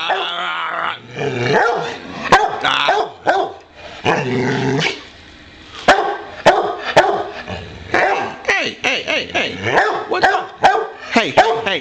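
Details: Boxer dog asking to play delivers a rapid run of short, harsh barks mixed with rumbling growls, coming in bursts with brief pauses, plus occasional human speech in the room.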